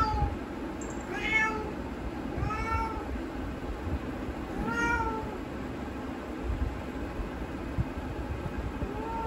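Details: Indoor pet cat asking to be let outside after hearing another cat behind the door; four drawn-out, falling meows in the first five seconds, then quieter with only a soft final call, over low background hum.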